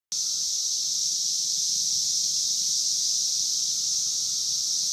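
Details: Brood V 17-year Magicicada periodical cicadas at the intersection of Vine and Walnut in Logan, Ohio: a dense, unbroken high-pitched hissing drone from many insects, with a faint steady lower tone beneath.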